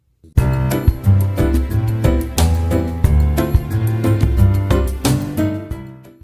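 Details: Bright, bouncy instrumental music with a steady beat fills the whole stretch, with no animal sound.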